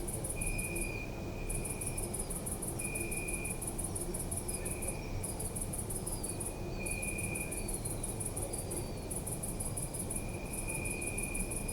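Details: Crickets chirp in a city park at night: continuous very high pulsed trilling in bursts with occasional short silences, accompanied by a recurring lower steady tone and faint gliding notes, over low city hum.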